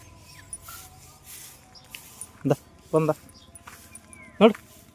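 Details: Street dogs kept with a young pup give three short, sharp barks at uneven intervals, two close together and a third after a pause, with a human voice and low background hum.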